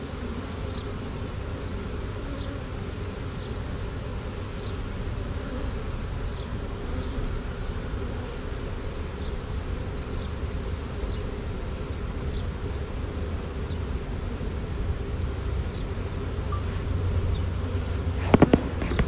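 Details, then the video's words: Honey bee swarm entering a box after being shaken from a tree branch; even low hum persists, overlaid by soft rhythmic high chirps, ending with a few sharp knocks and handling noises. "Classic Honey Bee Swarm marching in the box"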